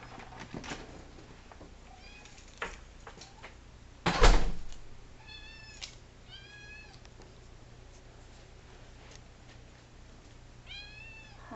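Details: Siamese kitten meowing indoors: several high, arching meows with clear rising-then-falling harmonics, spread across the stretch, with a loud knock or door bang near the middle and quiet room noise between calls.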